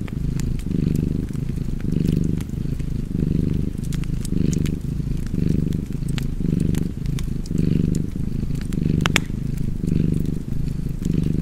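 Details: Cat's continuous low purr, a deep buzzing rumble that pulses in roughly ten even breath cycles, one about every second. Wood fire crackling and snapping in the background, with one loud pop near the end.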